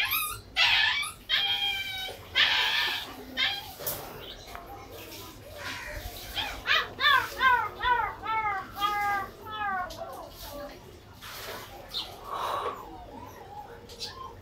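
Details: Golden Retriever giving a run of high, arched whining yelps, about two each second, through the middle of the recording. Human speech and handling noises come before and after.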